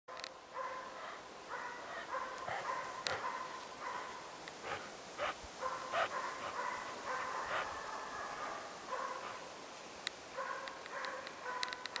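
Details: Five-month-old Hälleforsare dog named Pinto barking at a moose for the second time; bursts of loud, harmonic barks repeated in runs throughout, with short pauses and occasional sharp clicks or knocks in between.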